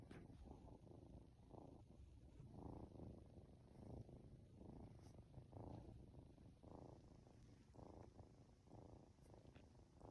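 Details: Norwegian Forest Cat kitten aged two months, petted and nodding off at home, gives a loud sustained purr, rising and falling with each breath in an even rhythm, with faint soft clicks.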